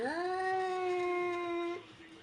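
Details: A scared cat gives one long, steady, drawn-out meow lasting nearly two seconds, rising briefly at the start, then holding a level tone before breaking off abruptly into quiet room noise.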